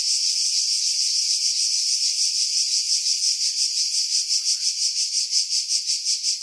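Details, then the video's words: Cicadas in pine trees about 50 m above the sea, Pefkos Bay, Skiros, Greece, July 2018; intense high buzzing that shifts into clearly pulsed throbs roughly three per second toward the end. "Cicada Sounds, July 2018 Skiros, Greece"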